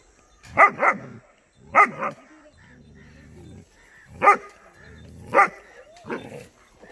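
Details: German Shepherd puppy named Dollar barking on seeing buffalo for the first time in an unfamiliar place: loud, harsh barks, often in quick pairs, with pauses of about a second or more between bursts, plus a low rumbling background.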